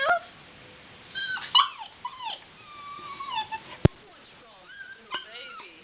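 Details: Female black Labrador Retriever puppy whining while trying to get down the stairs, happy once she makes it; thin, high, wavering whimpers and short yips in scattered bursts, with one sharp knock partway through.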